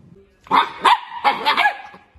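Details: Playful miniature dachshund giving four sharp, fairly high barks within about a second and a half, the first two spaced apart, the last two close together, each with a bright ringing tone.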